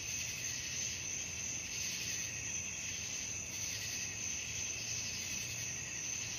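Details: Crickets at night produce a steady, piercing high trill that never pauses, thick with overlapping callers, above a quiet low-frequency hum.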